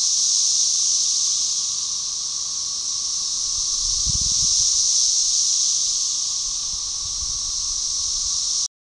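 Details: Organized chorus of 13-year Magicicada tredecassini, Brood XIX, Tyler Bend Park, Arkansas, May 30, 2011, with Magicicada tredecim droning in the background; high sizzling roar waxing and waning twice over nine seconds, a few brief low thumps midway.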